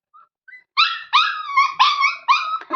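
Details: Hungry Labrador Retriever puppy whining indoors: two faint short peeps, then four loud, high, harmonic whines in close succession, each slightly falling, ending in a sharp click.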